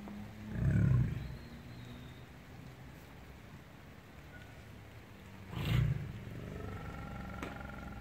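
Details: Two short, deep tiger roars about five seconds apart, separated by a low steady background rumble.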